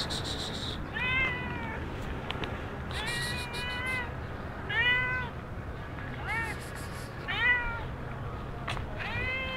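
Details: Stray cat in Sharm el Sheikh giving repeated plaintive meows, some short and chirpy, others longer and bending downward, about seven in ten seconds, with steady outdoor noise and brief hissy bursts between calls.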